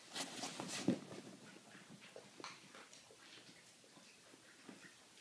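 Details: Maggie, a Boston Terrier, smacking while eating a walnut indoors: soft wet clicking and smacking chews in irregular quick bursts, a sharper crack near the start, quiet room otherwise.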